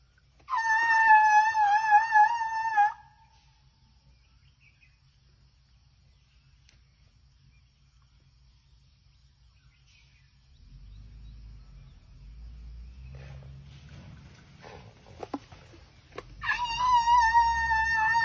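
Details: Thai elephant named Dummy grumbling: a high, wavering, harmonic-rich squeal lasts about two seconds, then quiet, then low rumbling noise, and a second wavering squeal at the end.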